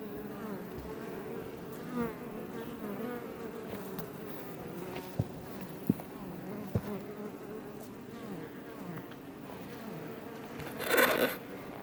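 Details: Iberian honey bees (Apis mellifera iberica) outside a Langstroth hive west of Roquetes, south Tarragona, Catalonia, Spain, near Els Ports: a steady, wavering multi-bee drone with a low hum, a few sharp clicks, and a brief loud rush near the end.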